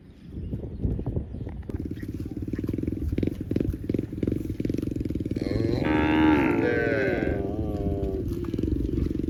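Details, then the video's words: Cow mooing in one long, low, droning call that holds steady, then swells louder and richer in tone around the middle before easing back down, with soft thumps and clatter in the background. "Cow Moo Sound"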